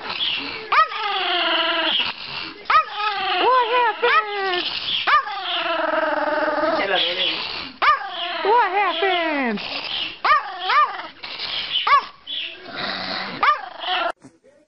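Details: Angry Chihuahua, kept as a pet, giving a run of tense harmonic whines and snarling yelps. Each call bends sharply up then down, arriving in bursts of about one to two seconds separated by short pauses.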